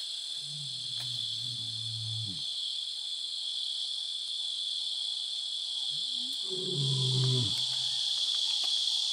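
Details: Two pride male lions at nightfall in Selinda Reserve, Botswana, roar together to assert dominance over their territory, giving deep, rumbling roars in two drawn-out bouts over a steady high chorus of crickets.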